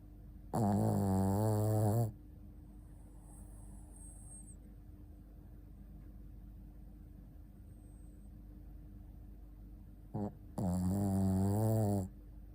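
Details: Asleep, the Shih Tzu Ponta snores twice, each low, rattling breath lasting over a second and spaced about ten seconds apart, with a brief snort just before the second and a faint high squeak early on.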